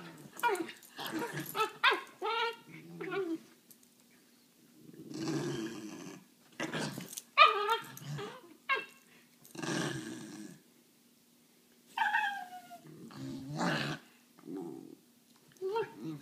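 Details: Two Basenjis playing together on a couch, making yodel-like rising and falling whines, throaty play growls and rough huffing bursts in quick irregular runs, with short quiet gaps between bouts.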